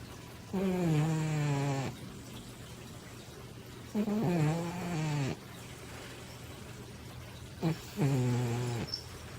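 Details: Baby, a big female Manx cat weighing over 20 pounds, snores loudly while asleep indoors: three low, droning, harmonic snores, each lasting over a second, come about every three and a half seconds with quiet pauses between.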